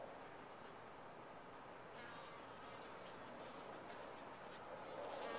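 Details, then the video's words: A thick, even buzz of massed bees fills a top-bar hive. A brighter, airier hiss joins after about two seconds, and a nearby flyer's tone grows louder at the close. "Bees in a topbar hive"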